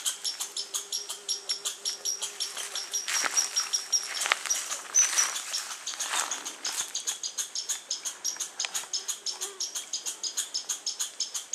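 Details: Squirrel on August 21, 2012, with birds also mentioned: a long run of rapid, high, clicky chips at a steady pulse, briefly broken midway by louder scratchy bursts and a faint lower hum.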